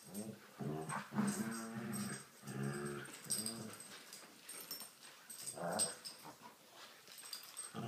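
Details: Rottweiler playing tug of war, growling steadily: rough, low harmonic growls in a string of overlapping bursts, some rising into louder snarls, with rustling and handling noise around them.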